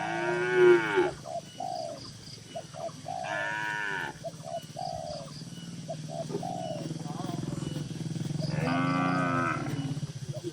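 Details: Several dozen tame cattle in a farm barn moo in turn: a short harmonic-rich call near the start, another around three seconds and a longer one near nine seconds, with softer short calls, possibly birds, and a steady low hum between.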